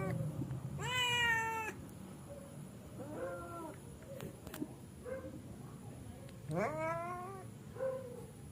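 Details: Wild cats going to sleep, with three clear harmonic meows, each about half a second to a second long, separated by quieter pauses, over faint low background noise.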